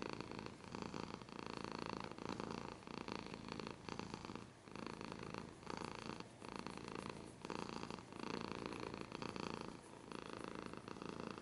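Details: Pet cat purring continuously, deep vibrating rumble rising and falling with each breath in regular cycles of about one second, a short quieter pause midway.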